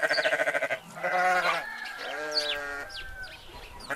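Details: Sheep with goats nearby: a rapid stuttering, pulsed bleat opens, then two smoother drawn-out bleats follow, while birds give quick high chirps behind them.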